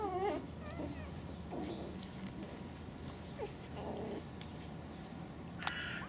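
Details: 49-day-old male Pomeranian puppies give high, wavering whimpers and squeaks over a quiet background.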